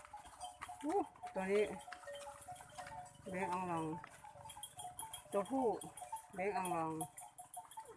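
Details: Water buffalo coming home in the evening: four drawn-out, wavering bleating calls, some rising then falling, spaced over eight seconds, with people talking in the background and a steady hum.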